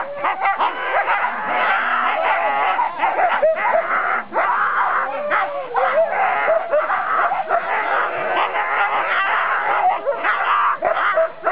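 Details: Four-dog team of Siberian Huskies waiting at the start line of the 2008 NSW Siberian Husky Club Sled Dog Shield at Grabine Lakeside Park: continuous chorus of eager yelping, barking and wavering howl-like cries from many dogs.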